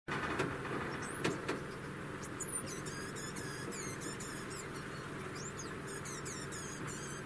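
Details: Female degu about one year old singing: after a quiet start, rapid trains of thin, high, wavering chirps repeat in quick series, pause, then resume near the end over a steady low background hum.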